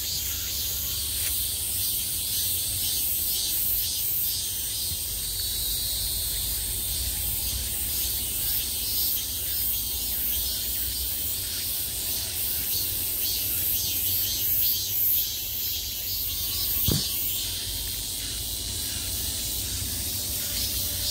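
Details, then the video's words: Summer cicadas buzzing from every direction at the height of the season: a dense, unbroken high hiss with faint rapid pulsing throughout, one brief low thump near the seventeenth second. "매미소리를 들으며 휴식. Cicadas's buzzing sound"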